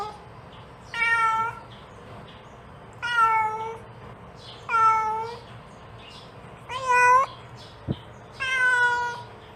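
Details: Mother cat calling her kitten indoors: five drawn-out, harmonic-rich meows, each under a second, spaced about two seconds apart, with one short click between the last two calls over a quiet low hum.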